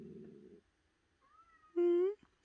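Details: Domestic cat giving a short, loud, rising meow with rich harmonics, preceded by a low rumbling pulse and a faint thin whistled tone, in an otherwise quiet setting.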